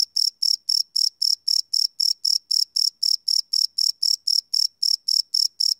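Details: A cricket chirps at night in rapid, even pulses, about four bright, high-pitched bursts each second.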